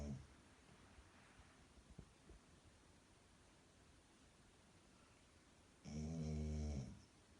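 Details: Seven-month-old Golden Retriever Milo sleeping soundly on a plush dog pillow; after a long hush, one loud, low, rattling snore swells up near the end, with faint shuffling earlier.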